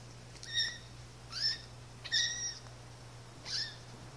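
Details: Siamese kittens one month old, a black-eared male and his sister born October 22, 2012, playing indoors; four short, high, thin mews with stacked overtones, roughly one a second, some rising then dipping, over a quiet steady room hum.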